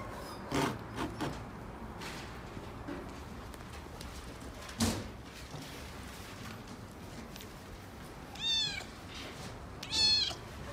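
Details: Young male red tabby Scottish Fold kitten, born October 2017, at a pet shop; two short rising-falling meows near the end, after scattered thumps and knocks earlier.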